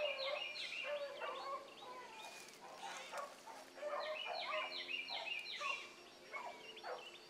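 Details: Hound pups on a morning rabbit run, Ringo, Mingo and Choco at the front. A dense, fast chorus of high yelps and deeper bays tumbles over itself, roughly three cries a second and uneven in rhythm.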